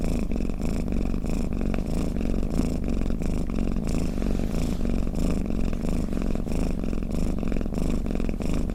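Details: Snoring cat giving a deep, buzzing purr: a steady low vibration made of rapid regular pulses, unbroken and even in volume from start to finish.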